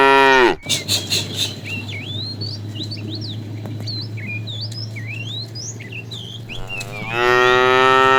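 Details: Fat, tame cow calling the female during afternoon herding: a moo cuts off at the start, then a low steady hum runs under twittering birds until a second loud moo swells near the end.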